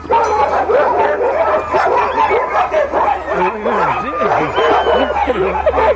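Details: Barking sled dogs at Caribou Crossing, Yukon Territory, awaiting takeoff: a crowded chorus of barks with rising-and-falling yelping whines, over a low steady hum and occasional human voices.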